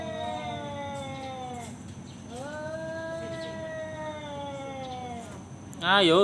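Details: Male cat provoking a fight with another: two sustained moaning yowls, the first falling away, the second steady and slightly wavering, followed by a sharp louder rising cry at the end.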